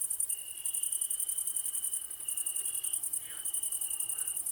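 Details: Crickets keep up a steady high trill in the evening, with a fainter band of insects buzzing higher still; frogs are also croaking in the ambience.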